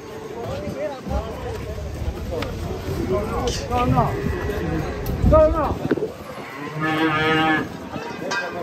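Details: Cattle being unloaded from a truck, agitated; several low moos and a rough bellow through the clip, with men talking and shouting around them and outdoor bustle.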